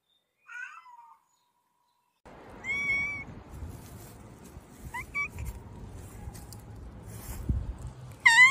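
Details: Domestic cat giving several clear, tonal meows, each sliding downward, spaced by pauses, with a low rumbling background and faint knocks between calls; a final sharp meow closes the sequence.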